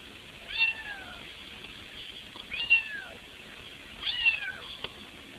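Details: Cat meowing outside while trying to squeeze through a window to get into the house; three drawn-out, falling meows spaced about one and a half seconds apart, with a faint background hiss.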